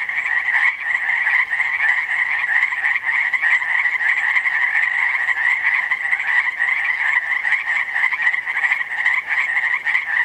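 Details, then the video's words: Frogs chirping at Langdon Lake, Oregon: a dense, unbroken chorus of many overlapping trilling chirps, steady and fairly high-pitched, with no other sounds standing out. "Frogs chirping at Langdon Lake, Oregon"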